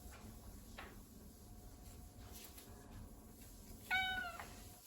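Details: Relaxed Ragdoll cat indoors giving one short, clear meow with rich overtones near the end, after several seconds of quiet room background.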